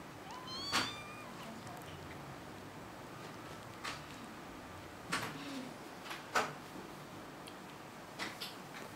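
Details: Young kitten letting out a brief rising meow early on, followed by scattered knocks and clicks like a cupboard being opened and shut in a room.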